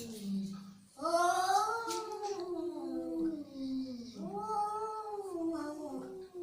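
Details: Angry domestic cat yowling indoors: a low growl, then two long wavering moans that rise and fall, the second starting around four seconds, with faint background noise.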